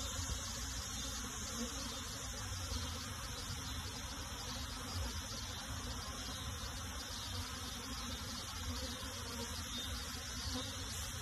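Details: Honey bees during transfer of a colony into a box: an unbroken, buzzing hum of many insects, slightly rougher and lower-heavy, with light flutter in the loudness throughout.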